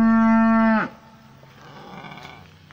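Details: Pasture cow giving one steady, strongly harmonic moo that ends with a sharp downward drop, followed by faint background rustle.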